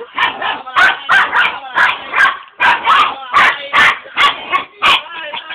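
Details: Dog barking rapidly: about a dozen loud, harsh barks in quick, uneven succession over five seconds, while a person speaks Italian nearby.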